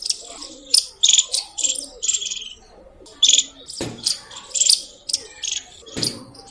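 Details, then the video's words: Squirrel chirping loudly, a rapid series of sharp high chirps in short bursts, some with whistled tones, separated by brief pauses, with a few clicks between bursts. "Loud Squirrel Chirping sound | squirrel sounds | गिलहरी की आवाज |।गिलहरी की बोली।"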